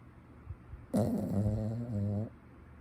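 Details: Sleeping puppy snoring: a single drawn-out, rough, low rumbling breath of about one and a half seconds with a buzzy, harmonic quality, set between quiet pauses.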